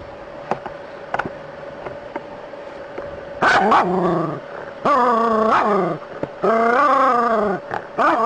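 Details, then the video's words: Dog facing a snake gives drawn-out, wavering yelping barks, three long ones about a second each after a quieter start with faint clicks and a steady background tone. "Snake vs Dog - ثعبان مقابل الكلب"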